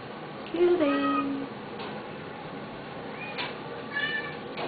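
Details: Adult male neutered Domestic Shorthair cat awaiting adoption in a shelter gives a short falling meow, then a second rising-falling meow about three seconds later, with faint room noise between.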